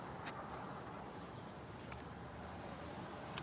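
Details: Steady broadband rumble of rain and distant traffic with a few faint clicks, and no animal voices.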